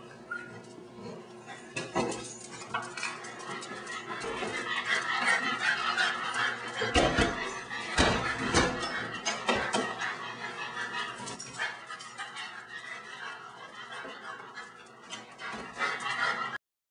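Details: Tilly, a female pet dog that loves bugs and lizards, trying hard to catch a praying mantis; scattered sharp, irregular barks and whimpers through a noisy, clattering background with faint voices.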